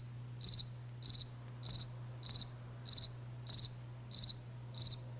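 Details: Crickets at night: crisp high chirps, each a quick burst of about four pulses, repeating steadily about every 0.6 seconds, nine chirps in all, over a faint steady low hum.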